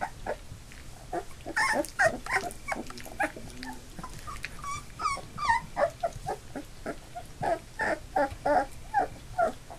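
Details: Eight Labrador Retriever puppies, two days short of three weeks old, now walking with eyes open, fill the room with overlapping squeaky yelps and whines, irregular bursts about twice a second, some low grumbling between.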